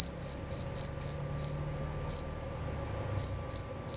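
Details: Loud, clear chirps of a male jerabang cricket from Indonesia, kept for its voice: a quick burst of six high pulses, a gap of over a second with one lone chirp, then the rapid chirping resumes.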